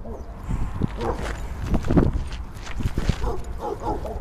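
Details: Rudy, a Boston terrier, out for an extended visit to a dog park on an unseasonably warm fall day, having a blast; short barks recur through the clip over low rumbling footsteps, movement and faint voices.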